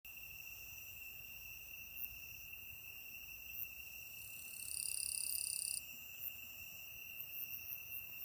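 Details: Insects singing on 5 September 2020 in Shimokawa, Kamikawa District, Hokkaido, Japan: a continuous, high, steady ringing trill. One higher buzzing song grows louder for about a second, and faint knocks are heard now and then.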